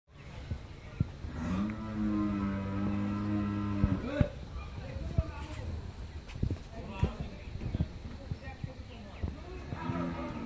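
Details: Friesian cow after her first calving, kept with her bull calf on a dairy farm in Pabna, Bangladesh: one steady, droning moo of about two and a half seconds, then people talking with scattered knocks.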